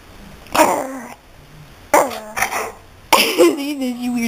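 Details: Daisy, a pet dog, gives three short, harmonic, yelping barks spaced roughly a second apart, each sliding downward into a drawn-out tail, with a quiet indoor background between them.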